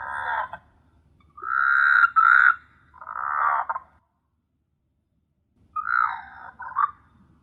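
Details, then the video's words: Frogs at night in S.Hulhumeedhoo, Maldives: irregular grating croaks of varying length, some drawn out and rasping, some clipped, clustered in the first four seconds, then silence before two more rough croaks. "Beautiful frog sound at night"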